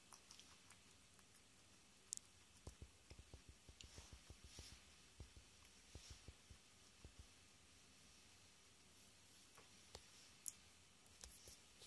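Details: Sotan, a female Swedish guinea pig, eating tomato or lettuce while choosing her favourite food; soft, irregular crunchy clicks of chewing come in quick bursts against a quiet indoor background.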